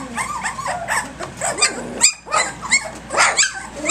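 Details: Lively three-week-old pups from Egypt's litter in morning play: quick squeaky yips and tiny bark-like calls coming more than once a second, irregular, several voices overlapping.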